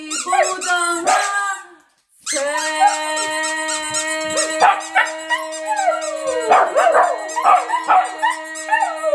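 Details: Two pet dogs, Tatu and Kkungjji (Siberian Husky and Shiba Inu), join in with the Korean national anthem: a brief yelp, a pause, then long warbling howls with bursts of yips over a sustained music tone.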